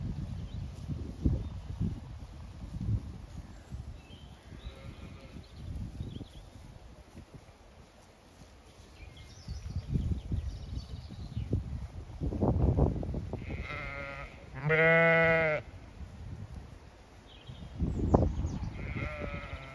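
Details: Zwartbles sheep, ewes and lambs grazing, resting in shade or going for water on a County Kilkenny farm in Ireland during hot May weather. Rustling and footsteps, then one loud, rich, sustained bleat with fainter bleats nearby.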